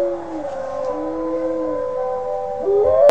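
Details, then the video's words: Five-month-old Northern Inuit dog practising its howl, a smooth sustained tone with a lower companion line that fades, then a sudden rising wail at the end. "Northern Inuit howling"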